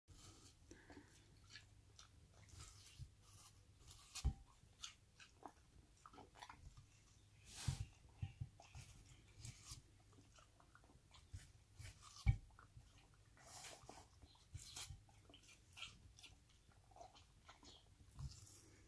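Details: Kronos, an Australian Cattle Dog deaf in one ear, chews a slice of watermelon on a warm day, with wet, irregular crunches and smacks against a low indoor hum.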